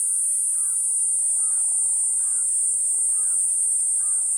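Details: Shrill constant whine of the cicada Platypleura kuroiwae, with a bird's short mid-pitched chirp repeating about once a second in the background.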